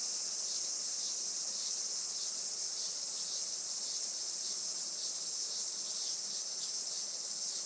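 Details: Cicadas on a traditional farm in Saitama, Japan, around 11:30 am on a sunny 20 July 2024: a dense, continuous high-pitched buzzing hiss that holds steady and unbroken throughout.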